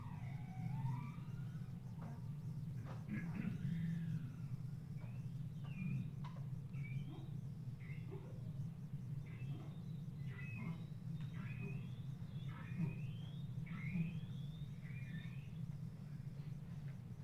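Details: Bowhead whale song recorded off West Greenland, the "strangled cat" song type: strained, wavering tonal notes sweeping up and down, repeated over a steady low rumble.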